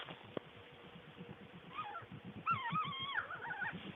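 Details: Skunk: rapid, uneven low grunting pulses, with wavering, harmonic squeals rising and falling over the second half.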